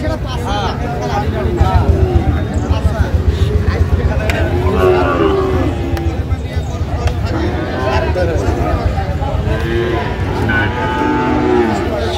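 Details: Sahiwal bull calves at a cattle market in Dhaka, Bangladesh, on 28 February 2025: drawn-out harmonic moos rising and falling under loud, steady crowd chatter and men talking, with background music.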